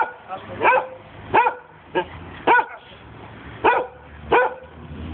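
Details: Giant Schnauzer dog barking while playing: six loud, harmonic barks spaced roughly half a second to a second apart, with quiet pauses between them and a faint low hum underneath.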